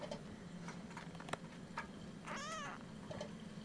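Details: Single brief rising-and-falling mew from Ursa, a Siamese kitten nearly four weeks old, chatty after being woken early one morning; faint clicks and steady indoor hum around it.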